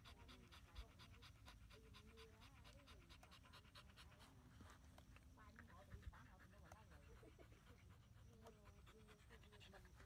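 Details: Miky, a female Husky, outdoors in strong wind before rain, panting in quick, steady rhythmic bursts throughout; a person's voice talks over it and low wind rumble fills the background.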